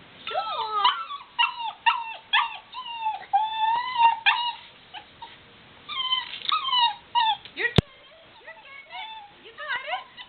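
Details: Black Lab pup, a young female, struggling down a staircase, lets out repeated squeaky whimpers and sliding whines in quick bursts, with one sharp click partway through.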